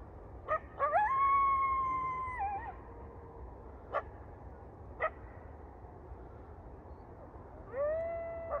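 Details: Coyote howling: a long, steady, tonal howl that rises sharply and then holds level for nearly two seconds, a few sharp knocks, and a second howl beginning near the end, over low background rumble.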